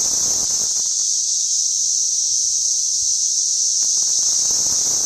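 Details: Cicada chorus from suburban St. Louis on June 5, 2011, captured with a sound level meter: a constant, piercing, high-pitched hiss-like drone, with a little low-frequency rustle early on.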